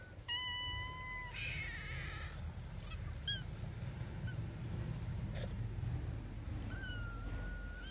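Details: Domestic cat meowing: a long, steady, clear meow at the start, then a gap of scraping and rustling before a second drawn-out meow that dips and levels off near the end.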